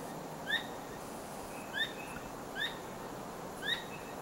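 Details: Squirrel calling at night while wagging its tail nonstop: four short, sharp chirps, each with a higher ringing overtone, spaced roughly a second apart over a steady low hiss of background noise.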